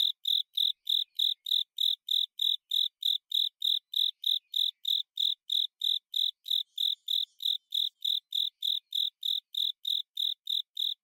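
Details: Japanese burrowing cricket (Velarifictorus micado) sings an unbroken, steady-rhythm run of clear, high chirps, about three per second, heard on long autumn nights.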